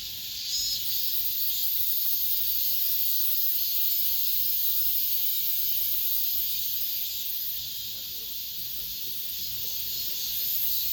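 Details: Late-summer cicada song, the season's last, recorded within an apartment complex. A steady, shrill, hissing drone of many insects holds throughout, with faint slow surges in loudness and little else audible.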